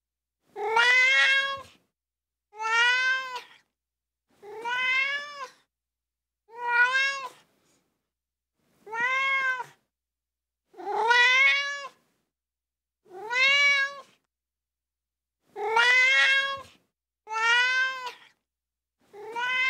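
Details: A ginger tabby kitten gives a string of plaintive, high meows about every two seconds, each rising then falling in a clear, reedy arc, with quiet pauses against a silent background.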